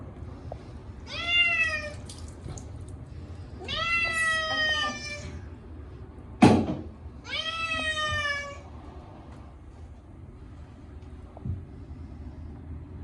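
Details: Chacha, a short-legged Munchkin cat, screams at his yearly bath, his first in a year, on a hot day: three long, drawn-out wailing meows, each rising then falling, separated by pauses, with one sharp click between the second and third.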